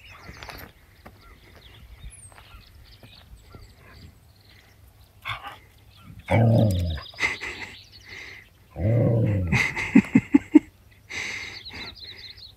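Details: Eleanor, a black-and-white female border collie in Montana, USA, frightened by a huge buffalo behind her near a log-splitting mill early in the year: loud harsh bark bursts after quiet stretches, then quick sharp yelps, with birds chirping and a man calling.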